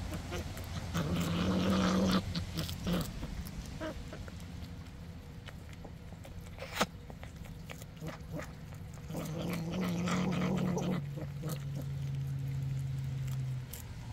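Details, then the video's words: Female fisher growls at her male while eating freeze-dried fish: low continuous rumbling with two louder, harsher growl bursts, the second trailing into a long deep drone, over chewing and rustling noises. "Fishercat eats freeze dried fish and growls"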